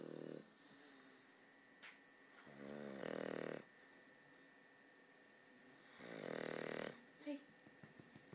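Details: English bulldog Polo snoring, with short buzzy snores alternating with louder hissing inhalations, irregular breathing sounds, indoors.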